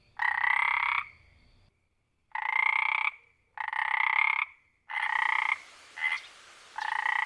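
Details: Frog in its wild habitat producing loud, rasping, pulsed croaks of about three-quarters of a second, repeated with short pauses, a fainter shorter note near the end.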